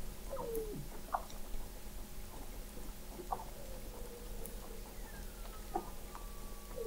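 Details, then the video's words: Weddell seals beneath thick sea ice in McMurdo Sound, Antarctica, November 2017, via an observatory 21 m under the ice: faint short chirps and a low falling sweep, with a thin whistle sliding down, over steady underwater hum. "Song of the Antarctic Weddell Seal"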